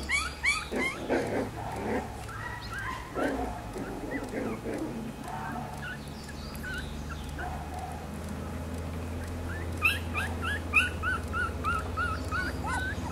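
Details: Black-and-silver Miniature Schnauzer puppies, born on 18 May, fill the air with overlapping whines and short yelps, busy at first, quieter mid-way, then a fresh burst of high squeaks over a droning background hum.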